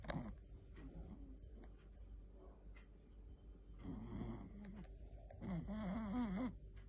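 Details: Sleeping Chihuahua snoring indoors: after a quiet start, two breathy bursts of snoring with a wavering, whistling nasal tone, the second louder and more tuneful, the wheezy pitch sliding up and down.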